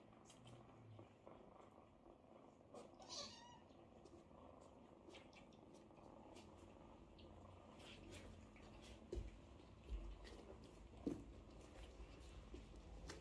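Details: Domestic cat family, a mother cat washing and feeding her kittens as they queue beside her; one brief, high, thin mew early on, then mostly quiet with soft scattered rustles and taps.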